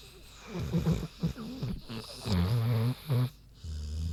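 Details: Big pig named Queenie asleep, giving a quick run of snorting, rattling snore breaths, deep and throaty, ending in a longer steady low drone.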